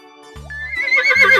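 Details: Horse named for children learning animal names, giving a short shaky high neigh that rises into a wavering whinny in the second half, laid over a background music bed.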